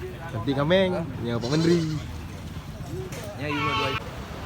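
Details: Goats at a goat market in Lhokseumawe, Indonesia, at a time when the market is very quiet. Three wavering, nasal bleats with rich harmonics, the last one longer and rising, with people talking in the background.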